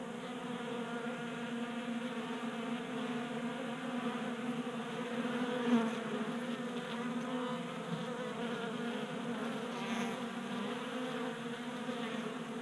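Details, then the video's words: Garage workbench in Colorado, January warmth: honey bees gather at a 3D printed tabletop feeder. A thick, constant buzzing chorus of wings with harmonic layers, one brief louder pass near the middle. "Honey Bees Feasting from 3D Printed Bee Feeder"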